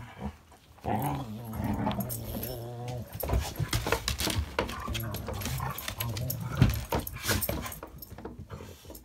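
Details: A Border collie cross and a Rottweiler playing together inside a house: sustained deep rumbling growls with harsh, noisy bursts and scuffling throughout, broken by short yips, all close to the microphone.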